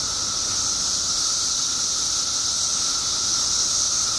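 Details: Billions of periodical cicadas emerging in Illinois after 17 years underground make a dense, unbroken droning chorus: a steady high hiss layered over a narrower sustained buzzing tone, with no pauses.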